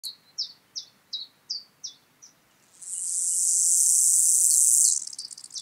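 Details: Gravel grasshopper (Chorthippus pullus) at Taugl, Austria, 6 July 2019, noise-reduced, captured with a Pettersson D 100 ultrasound detector: a series of short, high, scratchy chirps about three per second. A loud continuous hiss follows for two seconds.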